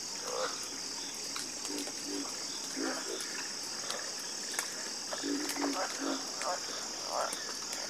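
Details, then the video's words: Frogs croak together in a soothing chorus. Clusters of deep, throaty pulses come in bursts every second or so, overlapping one another, set against a constant shrill buzzing drone. "Calming Sound Of Harmonious Frog Croaking"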